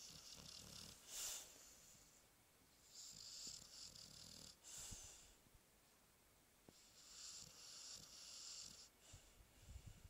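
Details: A Chow Chow named Alpha, sleeping soundly and hard to wake, snoring indoors: soft, airy hissing breaths in long bursts a few seconds apart, with quieter low rumbling between them.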